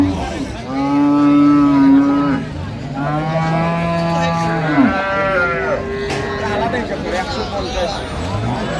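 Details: Improved-breed dairy cows with calves at Ambari cattle market, Dinajpur, on 16/11/25: a long, deep, drawn-out moo, then a second sustained moo ending in a brief upward break, with market chatter and men talking about teeth afterwards.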